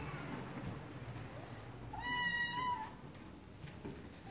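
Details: Cats meowing, one clear drawn-out meow of nearly a second, steady in pitch with bright harmonics, over a low hum and soft background noise.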